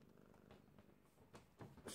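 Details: A little kitten on its birthday purrs in a low, steady, pulsing rumble, with brief soft rustles and a sharper broadband scrape near the end.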